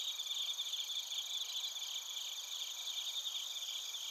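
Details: Crickets and bell crickets calling together in Narita, Chiba Prefecture, Japan, recorded with a TASCAM Portacapture X8; a dense, unbroken high-pitched buzzing trill chorus with quick fluttering pulses throughout.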